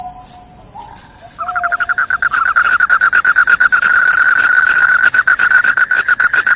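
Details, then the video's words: Noisy cricket calling said to scare off rats and induce sleep: quick high chirps throughout, then a loud lower pulsed trill starts after a soft whistled note and runs to the end. "SUARA JANGKRIK PENGUSIR TIKUS, JANGKRIK JANGKRIK SUARA NYARING BIKIN NGANTUK"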